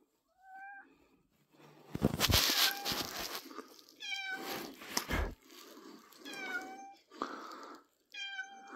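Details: Pet cat named Pippin meowing indoors, recorded 3rd April 2024; short harmonic meows rise and fall between broadband rustling and thumping noises, with a final clear meow at the end.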